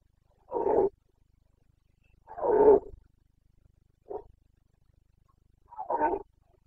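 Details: Carpathian red deer stag roaring (boncănit) in the breeding season, Bucovina mountains, 29 September 2022: four deep, hoarse bellows, each under a second, spaced about two seconds apart, in a quiet setting.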